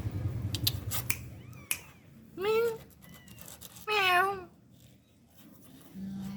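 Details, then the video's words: Kittens, one of three meowing in varied high, low and medium tones: two loud, clear meows with a rising-then-falling arch, plus a faint shorter one earlier, over sharp tapping clicks and a low hum. "the sound of three kittens meowing"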